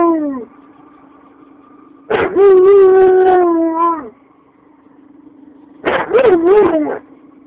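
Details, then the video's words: German Shepherd kept as a pet howling at passing police sirens to warn its owner: a falling tail of one howl, then a sustained level howl of about two seconds and a shorter wavering, yodel-like bout, over a faint constant hum. "(My GSD) Howling at Police sirens"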